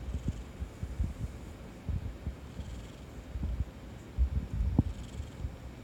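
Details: Soft, uneven low purring from Kuri, an orange tabby house cat, lying sprawled and cuddly, with occasional sharp gurgles of a human stomach underneath.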